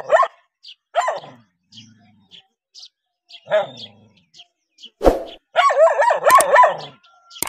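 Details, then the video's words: Dogs react to a stranger with scattered single barks, then a sharp knock, followed by a fast, loud volley of barks near the end. "How Dogs React When Seeing Stranger 11 - Running, Barking?"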